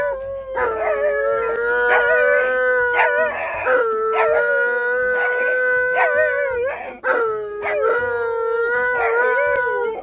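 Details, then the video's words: Alaskan Malamute howling indoors because he wants to go outside to pee; long sustained tonal howls with wavering, slightly rising and falling pitch, held for several seconds each, with brief breaks and a second dog joining in. "Mad Malamute Yells About Sending PeeMail!"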